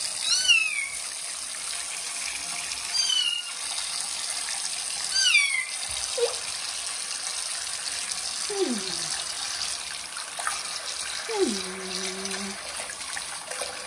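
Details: Kitten Johnny during its first bath in a bathroom gives three high, falling meows in the first six seconds over steady running water, followed by a few low voice-like sounds.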